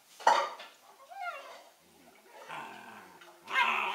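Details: Collie puppies Norris and Amica, 11 weeks old: a loud broadband yelp, then a thin rising-falling whine, a murmuring stretch and another harsh burst at the close, with faint clinking in the background.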